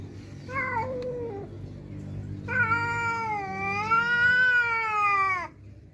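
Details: A domestic cat yowling in anger at an outside cat coming to the house: a short wavering yowl, then a long drawn-out, loud, harmonically rich wail that rises slightly and holds for about three seconds before dropping off; low room noise.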